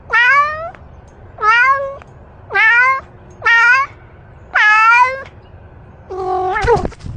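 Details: Domestic cat making small talk, a series of six clear harmonic meows, each rising then falling slightly and lasting under a second, spaced roughly every second, the last one shorter and wavering, in a quiet indoor setting.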